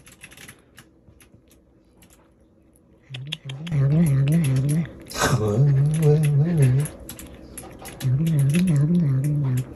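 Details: A rescued stray cat makes low, wavering growling noises while eating. The noise comes in three sustained bursts of about two seconds each, with soft music and light clicking in the background.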